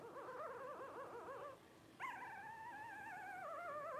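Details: Young Blenheim Cavalier King Charles Spaniel puppy, 12 days old, one of a New Year 2023 litter of five: a wavering, warbling whine for a second and a half, then a sustained, nearly level whining cry slowly drooping in pitch.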